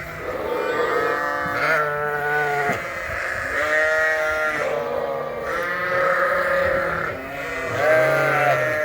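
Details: A flock of sheep, ewes and lambs, bleats loudly and continuously for food at feeding time, indoors in a Canadian farm barn during a spring cold snap; older Dorset lambs weaned that day are upset.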